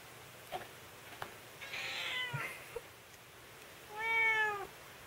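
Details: Scottish Fold cat; meow; protest during nail clipping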